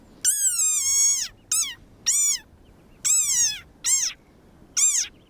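A desert rain frog gives shrill, harmonic squeaks in short bursts, its defensive cry when threatened.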